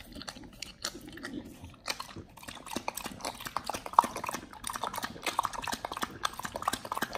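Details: Pit Bull on a raw diet chewing whole raw quails. Sharp crunches and moist smacking bites come in uneven bursts, with a few louder cracks near the middle and toward the end.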